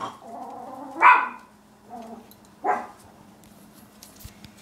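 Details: Young Chihuahua pups make thin, tonal whines, then two sharp, high yaps about one and a half seconds apart. A brief whimper comes between them, and the sound tapers into faint rustling with a low background hum.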